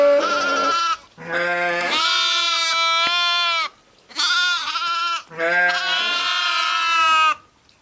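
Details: Sheep and lambs bleating in four long, strongly harmonic calls, a low steady voice under higher quavering ones, separated by short silences.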